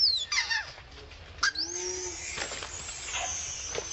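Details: Around Angkor Wat, Vixen, a free-living monkey, gives an angry cry: a sharp, falling shriek, then a lower harmonic moan arching up and down, and a thin high tone trailing off amid faint rustling.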